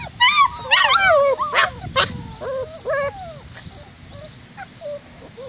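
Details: White German Shepherd puppies at Cedarday Springs Farm whimpering in quick succession, a tumble of high, wavering whines and yips that bend up and down, louder at first, then thinning out to brief soft cries.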